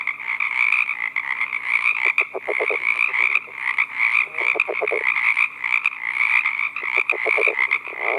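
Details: Male California red-legged frog calling from a pond at night, giving his advertisement call to attract a female: low, stuttering bursts of rapid pulses, about three series spaced a couple of seconds apart, over a steady high trilling chorus.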